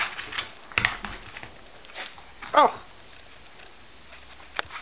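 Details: Coton de Tulear puppies indoors, getting a treat: one short, falling, whimpering whine in the middle, surrounded by soft pattering, scratching and clicking sounds in a small room.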